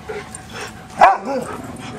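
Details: A single sharp bark from dogs at play, followed by a short growly tail.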